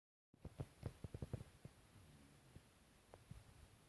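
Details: Bobby, a dog in deep sleep, snoring indoors: a run of soft, low snorts in quick succession at the start, then quieter irregular breaths and faint snuffles over a steady room hum.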